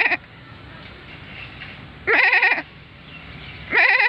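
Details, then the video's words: Goat at lunchtime, looking toward the recorder, gives loud quavering bleats with a strong vibrato, three calls in about four seconds, each about half a second long, over a low background hum. "Goat voice"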